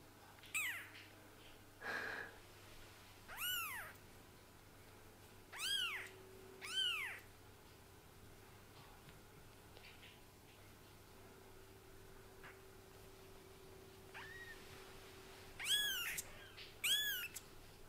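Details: Young kittens whose eyes have just opened, indoors: high, thin arched mews with rising-then-falling pitch, given singly or in close pairs at irregular intervals, with a steady low hum underneath.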